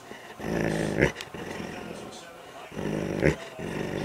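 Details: Male Doberman fighting over his rawhide toy during play: two rough, throaty growling bursts, each under a second, about two seconds apart, with quieter rumbling between and a person's voice nearby.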